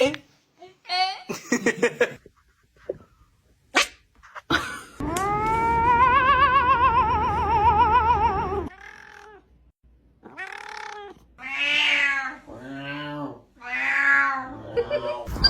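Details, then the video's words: Domestic cat making weird sounds: a long wavering, warbling yowl lasting about four seconds, followed by several short arching meows in quick succession, with brief human speech heard between the calls. "Cat's Weird sounds 2.0"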